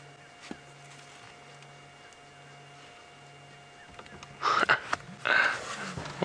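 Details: Young female African elephant, very vocal, calling in the open at dusk on a game drive at Djuma Game Reserve; two loud, harsh trumpeting bursts come after a quiet stretch with a steady low engine hum and faint rustling.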